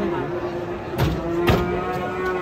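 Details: Agitated, raging cattle watched by local residents: a sustained, even, low moo running throughout, broken by two sharp knocks, with crowd noise behind.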